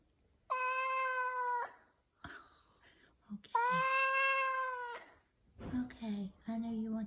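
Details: Morning meows from a large F2 Savannah cat asking for chicken leftovers: two loud, sustained, level meows of over a second each, followed by a woman speaking to the cat.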